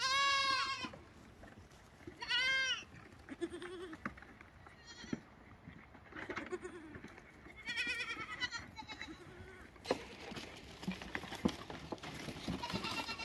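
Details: Young lambs bleating: two clear, strongly harmonic bleats open the sequence, followed by fainter, wavering bleats set against a noisy, rustling background.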